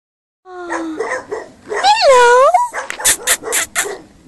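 A dog gives a drawn-out, wavering whine-like yowl, then a run of short, sharp barks.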